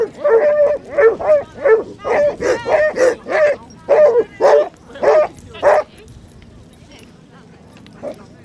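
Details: During a four-mile group walk of 37 Basset Hounds on Exmouth beach, a rapid run of about thirteen resonant, baying barks fills six seconds before fading into quiet beach background.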